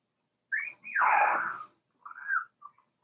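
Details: Cavalier King Charles Spaniel puppy, four weeks old, in Daisy's indoor whelping pen: a high whistled whine breaks into a loud, rough, falling yelp, followed by shorter rising-then-falling whimpers and brief squeaks.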